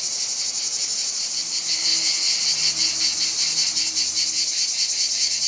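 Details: Numerous cicadas calling during hot summer weather in Provence, France; an unbroken shrill buzzing wall with fast throbbing pulses, faint low hum in the background.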